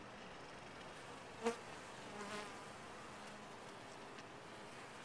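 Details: Quieter hum of bees in a top-bar hive, a soft low drone broken by one sharp click partway through and a short swell of buzzing afterwards.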